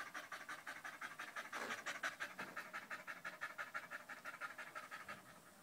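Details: Danco, a dog staying close at someone's leg on 05.08.2013 while a new Malinois puppy named Amy is around, pants loudly in quick, steady breaths, about three per second, with no other sounds.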